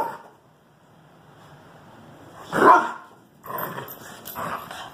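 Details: Dog at play, with Greyhounds and a French Bulldog romping together: a single loud, harsh bark midway, then two shorter bark bursts close together, against an otherwise quiet background.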